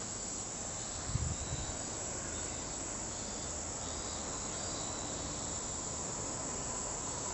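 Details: Kaempfer cicada song heard as an unbroken high, thin buzzing drone over broad outdoor noise, with a brief low thump near the start.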